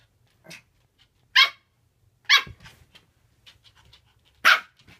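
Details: Japanese Spitz dog playing alone, giving short sharp barks at irregular intervals, a few louder yaps among softer ones, with faint rustling between.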